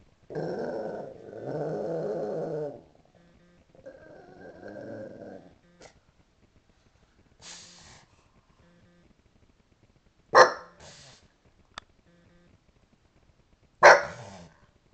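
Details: Pet pug giving woo-woo howls at TV sirens while looking out a window over a sleepy suburban street, April 7, 2009: two hoarse, throaty, drawn-out woos of about two seconds each, followed by scattered sharp clicks and thumps.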